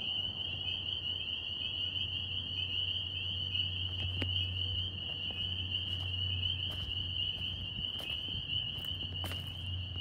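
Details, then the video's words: New York northern spring peepers form a continuous high-pitched ringing chorus of overlapping peeps, with sharp clicks and knocks in the second half and a low droning hum underneath. "Tree frog sounds NY"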